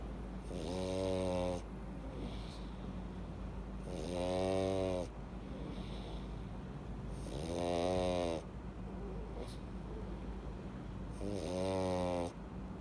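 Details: Louis, a pug, deep asleep after filling up on treats, snores loudly in four long rasping, rattling breaths spaced about four seconds apart, each a rough buzzing roar with a quiet pause between, indoors.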